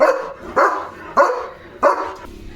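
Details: Leo, a German Shepherd guarding the gate as a herd of sheep passes, gives four loud, rough barks about half a second apart, each a broad burst with a short tail.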